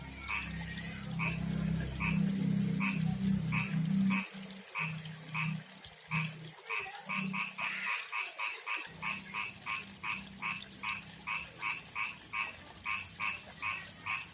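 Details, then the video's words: Male frog from a backyard pond and river calling a female; croaks start spaced under a loud low rumble, then, after the rumble stops, speed up into a quick, insistent series of short double-noted croaks. "begini suara kodok jantan panggil betina"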